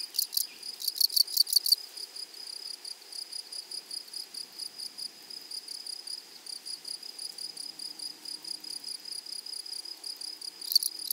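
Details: Grasshoppers in a flowery prairie meadow: a loud, rapid rasping burst at the start, then a steady, faint, fast-ticking chirr of regular pulses, with a brief loud rasp returning at the very end.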